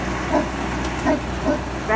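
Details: Newfoundland dog in Canada barking at a snow removal truck the morning after a winter storm; four short, deep, harmonic barks spaced roughly half a second apart over a steady low engine rumble.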